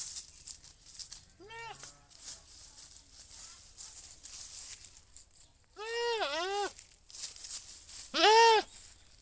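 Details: A goat gives loud, wavering, nasal bleats, the last one strongest.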